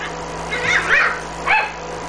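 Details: Female smooth Chihuahua puppy, blue and white, 47 days old, from an Osaka breeder, filmed 19 May: thin squeaky whines, two rising-and-falling in quick succession and then one more, over faint background hum.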